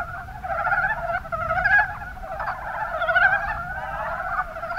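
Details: Mountain brown frogs (Rana ornativentris) in the Kuma Basin, Kumamoto, Japan, calling together in a dense chorus of rapid, pulsed, rattling croaks that overlap continuously, with brief swells in loudness.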